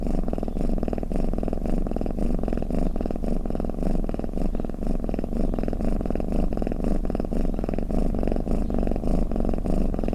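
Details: Low, buzzy purr-snore from a cat, unbroken for ten seconds, its rough rumble swelling and easing in an even breathing rhythm.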